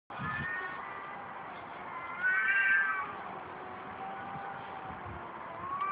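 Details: Cats fighting: a long, drawn-out wavering yowl with a rich harmonic tone runs through the whole clip, swelling louder and higher for a moment in the middle before settling back into a steady moaning wail.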